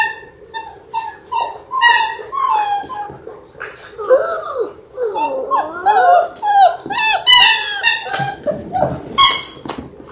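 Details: Six-week-old Labrador Retriever puppies, a litter of six born January 18, 2022, on a live puppy cam. They give high, wavering whines and squeals with quick yips, overlapping and rising and falling. Some human voices sound faintly.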